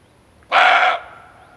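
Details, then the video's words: Hunting lure of a male barking deer: a sudden coarse bark of about half a second, loud and grating, trailing off into a soft hum. "Suara Kijang Jantan"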